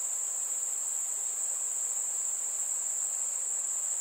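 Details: Crickets on a warm summer night with fireflies, heard as one piercing, continuous high-pitched trill that never pauses, with little other sound beneath.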